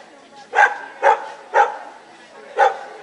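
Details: Samoyed barking at a CACIB dog show in Lithuania on 25 October 2009. Four loud, clipped barks come about every half second, with a short gap before the last one, over a low murmur of the show hall.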